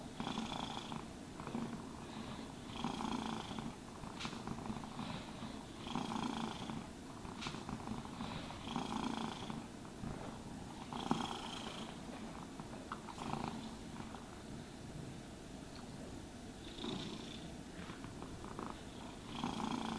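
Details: Cat purrs throughout a grooming session, the soft low rumble unbroken while regular brushing swishes recur roughly every one and a half seconds on top.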